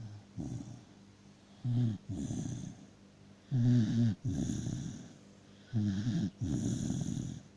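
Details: Sleeping dachshund in deep sleep, snoring: rough, throaty snores on each breath, about every two seconds, some with a brief rattling start, separated by quiet pauses.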